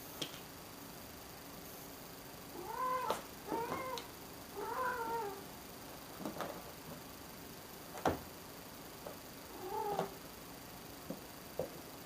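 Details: Cat giving a series of soft, drawn-out meows, four bending tonal cries in quick succession and one more after a pause, with scattered taps and knocks in a quiet room.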